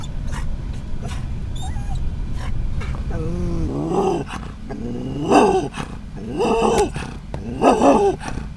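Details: Scottish terrier riding in a van, barking at other dogs and cats it sees outside; steady low road rumble, then a run of harsh, growly barks spaced a little over a second apart.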